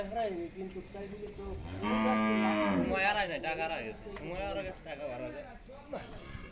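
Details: Pregnant Friesian cow, nine months in calf and due for her second calving, at a dairy farm in Bhangura, Pabna, Bangladesh: one loud, drawn-out moo lasting about a second, rich in harmonics, then human voices talking.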